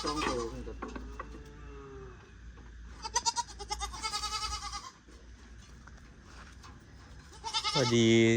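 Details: Four more goats just bought: two bursts of rough, vibrating bleats, one in the middle and a loud one closing, with men's voices chatting beneath and between them.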